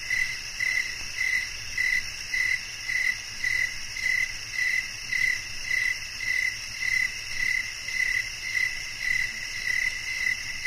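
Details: Chirping cricket offered as a calming bedtime nature sound: crisp high pulses about every half second, close to 105 per minute, in a clear rhythm, backed by a continuous hiss of other insects higher up.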